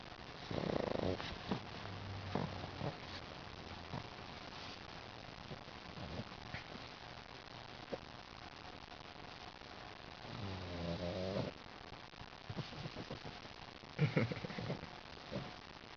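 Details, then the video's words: Pug named Lil Mac, described as smiling while asleep, snoring: rough low rasping breaths, a clear one near the start and a louder drawn-out snore around ten seconds, with softer snuffles and sniffs between, in a quiet room. "Lil Mac snoring"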